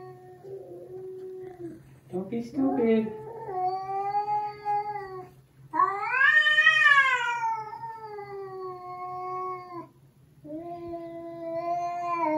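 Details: Two adult domestic cats, Huie and Eugi, meeting indoors for the first time. One yowls a long warning at the other: drawn-out harmonic wails that rise and fall, broken by brief pauses, with a short burst of speech and a steady low hum.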